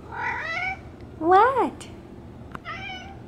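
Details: Domestic cat Bean, a female pet, meowing at the door while it rains hard outside: a rising-falling harmonic meow, then a louder arching one, then a third; a person speaks to her between calls indoors.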